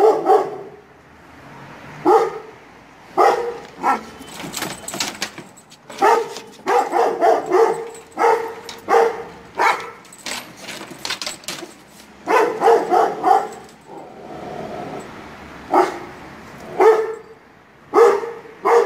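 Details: A young Kangal puppy barks in deep, loud bursts, responding harshly to the barking of neighbouring dogs.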